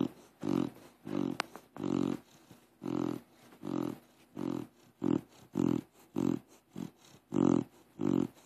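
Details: Deaf pit bull named Crush asleep and snoring like a pig: rattling, pig-like snorts repeat about every half second, each a brief throaty burst separated by quiet breaths, steady through the whole stretch.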